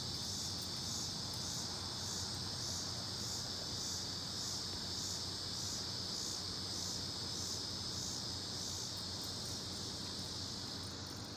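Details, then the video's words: Cicadas in Ames, Iowa, in 2018: a steady, dense high-pitched buzzing chorus that pulses gently about once every second or so, over a constant low rumble of background noise. "Cicadas in Ames, Iowa 2018"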